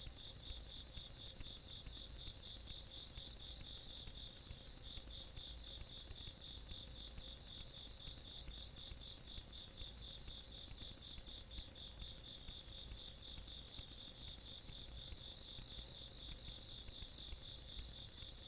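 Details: On a rural summer night, 17 August 2022, insects sing a nonstop high pulsed chorus in two bands, the upper trill pausing and resuming a few times, with a quiet low-frequency hum behind.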